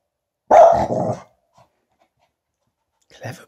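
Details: Finlay, a Tibetan Spaniel, barks at a balloon he received as a present and is a bit scared of: one sharp, loud bark with a short rough tail, then quiet, and a second softer bark about two seconds later.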